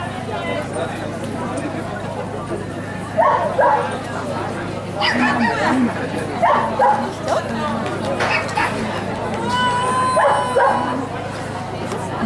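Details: Giant Schnauzer named Blackmoore giving loud bark bursts in irregular clusters, against a constant low mechanical hum with people talking nearby.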